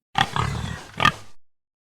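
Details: Pig giving two short, rough oinking grunts, the second following about a second after the first, on a silent background.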